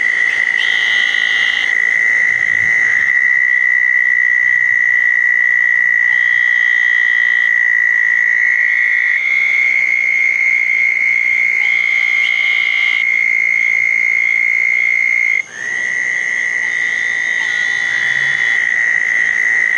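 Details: Chorus of southern toads at small backyard-dug ponds on a wet night after a thunderstorm, June 10, 2014. High, continuous trills pass from one caller to the next almost without pause, with short buzzy bursts above and a brief gap near the end.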